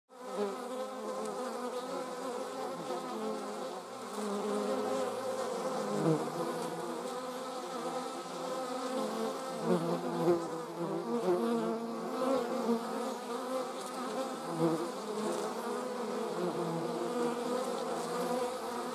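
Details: Several German wasps in flight make a steady, layered buzzing of overlapping humming tones that waver in pitch, with small swells in loudness as individual wasps pass closer.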